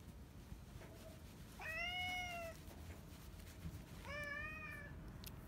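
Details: Yongo, known as Kuro, a retired boss cat living out end-of-life care at home, utters two steady, slightly dipping meows roughly two seconds apart over a soft background hum.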